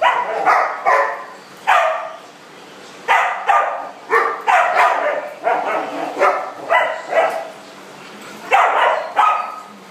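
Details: Indoor dog party room with dogs at play, giving loud, abrupt barks in irregular clusters of two to four, some with a slightly rising yelp quality, separated by short silences.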